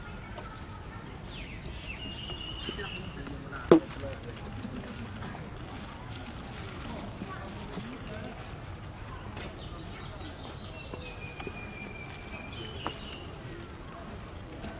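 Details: Baby monkey Berry crying for its mother Beaker after she moved away from the tiny infant: thin, high whistled whines held briefly and falling slightly, heard early and again near the end over a low rumble of outdoor background noise.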